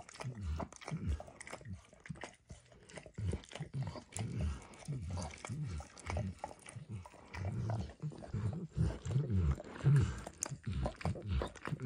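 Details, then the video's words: Steady lapping from Emperor Max, a dog working at a bumpy orange lick mat coated with eggs and diluted peanut oil; dull, moist tongue strokes repeat almost twice a second in a loose rhythm. "ASMR Dog Licking"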